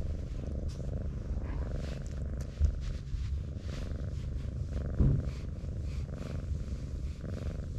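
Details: Brown tabby cat, stroked until it curls its body up like an armadillo, gives a continuous low rumbling purr, steady and pulsing throughout, broken by two brief soft thumps partway through.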